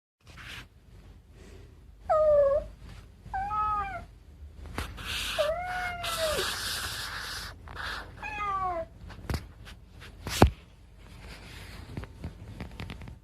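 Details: Indoor cat meowing repeatedly: four drawn-out, wavering meows, each dipping then rising or arching, spaced about one to three seconds apart, with clicks and faint rustling between calls.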